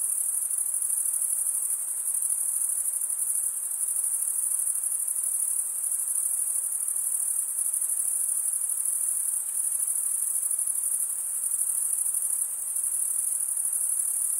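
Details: Male crickets stridulating, rubbing a wing edge across the toothed vein of the other wing; a dense, continuous high-pitched shrill trill holds steady throughout with faint pulsing and no other sounds.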